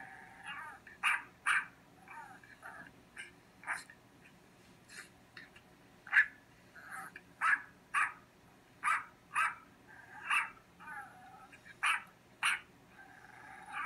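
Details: Dog next door barking while a cat named Cotton listens: sharp, loud barks in irregular bursts, often in close pairs, with softer yips and whimpering sounds between them.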